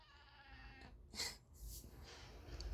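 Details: Pet cat Paldong-i crying right after its owner sneezes: a thin, wavering cry with stacked harmonics through the first second, then breathy noisy bursts over a low indoor rumble.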